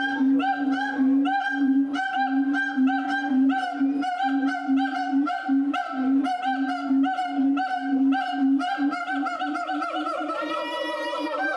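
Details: A siamang (Symphalangus syndactylus) at Tennoji Zoo, Osaka, Japan, recorded on 2 May 2022, gives loud, rhythmic hooting calls, repeated about twice a second with strong harmonics.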